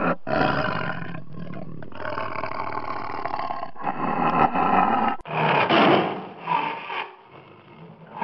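A tiger gives deep, rasping roars and growls in long, loud bursts, broken by brief pauses, with the last seconds fading to a quieter rumble.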